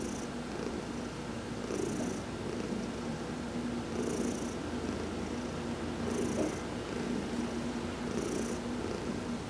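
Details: Heidi, a pet cat, purrs through a massage while sunbathing; continuous low throaty rumble rising and falling with each breath roughly every two seconds, brief faint hissy bursts above.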